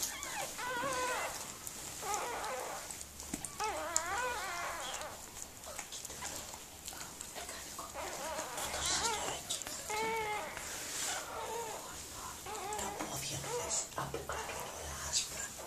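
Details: Whimpering from Mirella the Miniature Pinscher during the birth of her puppies: wavy, quavering whines in clustered bursts, some trembling up and down, interspersed with rustling and faint murmured voices.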